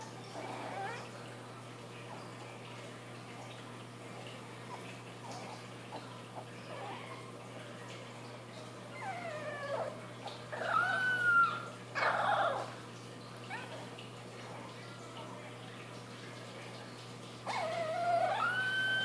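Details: Wynonna, a female Boston Terrier puppy from a June 4th, 2013 litter, gives thin, high, wavering howls that rise and fall, with pauses between attempts, as she finds her voice.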